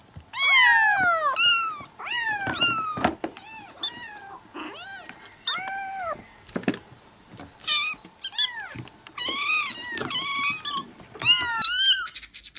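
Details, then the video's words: Domestic cats meowing in a compilation: many short harmonic meows, some falling, some arched, following one another closely, with a few sharp knocks in between. "Vidio kucing mengeong lucu"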